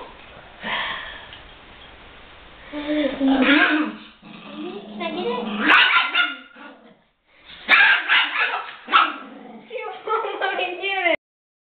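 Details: Little Bit, a small female Chihuahua, guarding her toy gorilla from her owner indoors; bursts of rising and falling growls break into sharp yappy barks in uneven clusters, with gaps of near silence and a person's voice mixed in.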